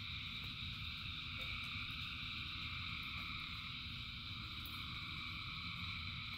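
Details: Massed frogs singing during rain, an even, droning chorus of overlapping trills with faint clicks and a steady low rumble underneath.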